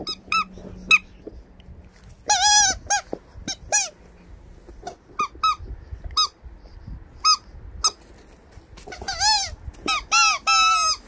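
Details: Labrador Retriever giving high, squeaky whimpering calls in short bursts, each note arching up and then falling. Single yelps come first, then denser clusters of squeals near the start and the end, over a low steady hum with quiet gaps between.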